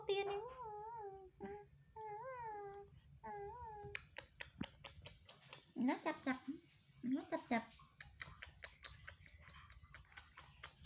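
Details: Baby monkey Toro calling for his mother's comfort and a hug: three drawn-out wavering whimpers with a warbling, slightly rising and falling tone over the first four seconds, then human talking and clicks indoors.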